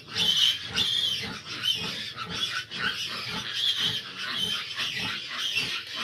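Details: Sow nursing fifteen big piglets with difficulty: loud, piercing piglet squeals dominate, wavering and overlapping, with short rhythmic low grunts underneath.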